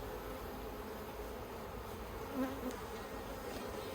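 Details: Steady colony hum from the yellow beehive in Australia, October 2021, as the beekeeper works with plastic frames; continuous droning buzz of numerous honey bees, one individual flying close briefly louder midway through.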